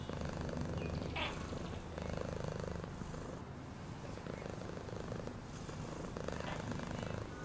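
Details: Cat purrs in a steady low throb, the pulses slightly uneven, with a short higher scrape just after the first second.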